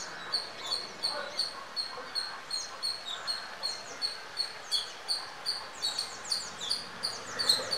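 An Indian palm squirrel gives sharp, high squeaky chirps, repeated about three times a second.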